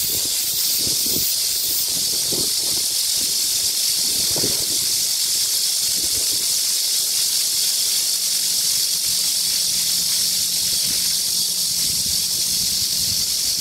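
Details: Cicadas keep up a steady, high, shimmering buzz on a hot midsummer day, 14 July 2022, 31°C, in a culture park in Gayang-dong, Seoul, joined by the rush of a splashing fountain.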